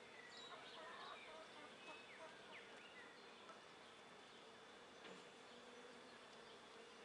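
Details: Darker-coloured honey bees hover around and enter an empty nuc-sized top bar hive on a 24 °C late afternoon, a steady low wing hum running throughout, with faint bird chirps and scattered clicks above.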